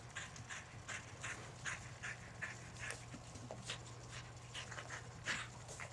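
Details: Panting from Skid, a red and white female Border Collie, while she plays fetch: quick, breathy, rasping pants repeat about two or three times a second, fairly quiet, over a low steady hum.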